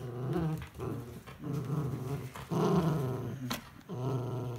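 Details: Miniature Schnauzer Kurumi, wearing socks indoors, battles an empty chocolate ice bar box during play; steady, deep growling rolls on in long rumbling waves with brief breaths between, plus a light knock of the box.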